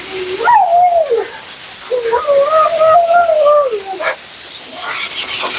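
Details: Siberian Husky Mila 'talking' through her bath and groom: a short rising-falling whine followed by a longer wobbling, woo-woo-like howl with a clear upper overtone, then quieter spray hiss.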